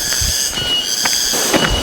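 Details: Cicadas in the forest of Gunung Halimun Salak National Park at Citalahab, Indonesia, keep up a steady, shrill high-pitched drone near a forest-ringed settlement and campsite, with brief human voices in the background.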